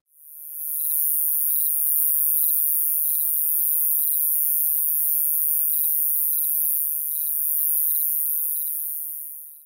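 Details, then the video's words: A round-tipped conehead (Neoconocephalus retusus), the most common conehead in the Illinois Midwest, gives a continuous, very high buzzing song without breaks. "The roundtipped cone head is the most common of the cone heads and has a continuous buzzing call."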